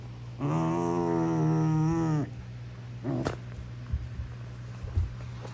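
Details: Female Basenji Prisca's all-for-show tough act: a long, loud, level squealing yowl rich in harmonics lasts nearly two seconds, then a shorter rising squeal and a few soft grunts and snorts over a constant hum.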